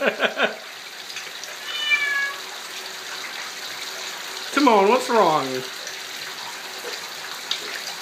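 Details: Timon, an 11-month-old Bengal kitten, calls out after sharing a shower and getting soaked. First a few quick short meows, then a thin rising-falling cry, and later a louder drawn-out wavering meow that slides downward. Running water hisses throughout.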